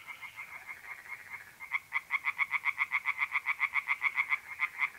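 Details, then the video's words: Night-time pond in north-eastern Italy in mid-April, tree frogs calling: after softer pulses, a loud, fast run of sharp rasping croaks repeats about four times per second, with a thin trill behind. "relaxing singing tree frogs in pond"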